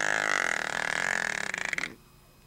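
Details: Jenni, a pet Shih Tzu sleeping heavily, snores indoors: one long rasping, buzzy breath with a steady nasal tone, pulsing into a rattling flutter near its end before stopping abruptly into quiet.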